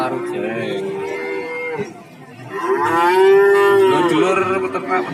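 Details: At the Warujayeng cattle market in Nganjuk, one cow's fading moo gives way after a brief lull to a louder, fuller bellow that swells and then tapers off, with market chatter in the background.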